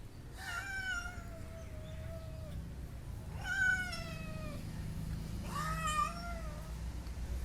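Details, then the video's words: Pet cat at home giving three long, clear meows about two and a half seconds apart, each rising slightly then sliding down in pitch, over a faint low hum. "our cat never fails to make funny sounds"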